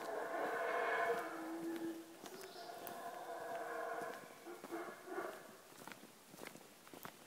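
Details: Guatemalan black howler monkey (Alouatta pigra) gives long, deep, moaning calls rich in harmonics that rise and fall in waves, recorded on a morning walk in Tikal National Park, Guatemala. Guatemalan black howler monkey.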